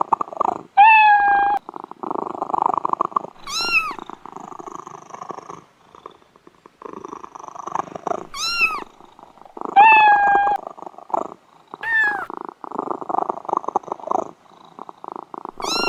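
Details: Pet cat purring with a rapid, rough pulsed rhythm, broken by short high meows: some flat, some sharply rising and falling, about five in all, with brief quiet gaps.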